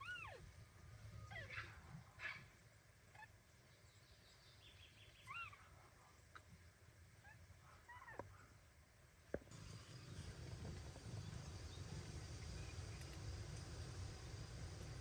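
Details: Mother cat Kira with her newborn kittens, carrying them away in her teeth to stop them being weighed. Thin, high, arched mews come in short bursts about five times, over a steady low hum and a faint high buzz.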